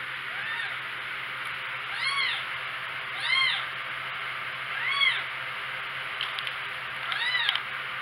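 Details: Four-week-old kittens mewing: five thin, high meows, each an arching rise-and-fall, spaced about a second or more apart, over a steady faint hiss and low electrical hum.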